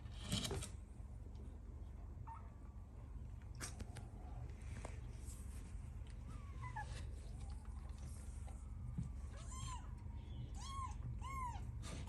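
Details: Newborn kittens with their mother, meowing for milk: several short, high, chirping mews near the end, preceded by faint squeaks amid steady rustling and low background rumble.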